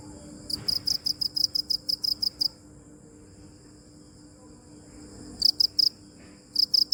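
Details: Crickets chirping in bursts: about ten quick, shrill pulses in the first two and a half seconds, then nearly three seconds of quiet before two more short clusters of high chirps.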